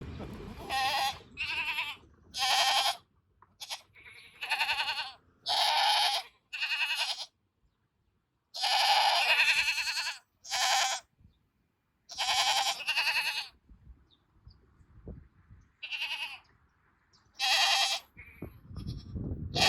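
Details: Goats bleating in chorus toward a keeper's car: loud, wavering, harmonic bleats in overlapping bursts, roughly a dozen calls of one to two seconds each separated by short silences.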